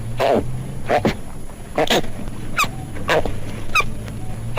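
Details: A koala gives a series of harsh, grunting calls, about one each second, over a low, droning rumble.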